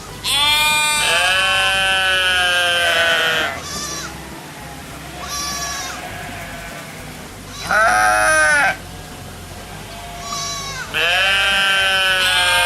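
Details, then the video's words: Sheep bleating in long, quavering calls of two to three seconds, three loud ones separated by softer, fainter bleats, over a low steady background hum. "양, 호랑이, 앵무새, 백조, 곰의 울음소리"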